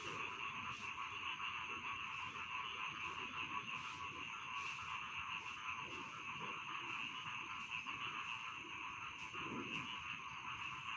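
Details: Rice field frogs calling in a dense, steady chorus: a continuous rasping, trilling wash of overlapping croaks, with faint clicking pulses and low rustling beneath.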